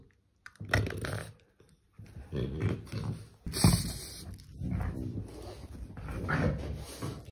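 A French Bulldog gives a run of low, throaty grunts and snuffling snorts in short bursts.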